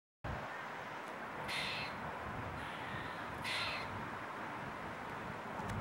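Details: On 15 October 2022, a grey squirrel gives two harsh, rasping alarm calls about two seconds apart over steady background noise.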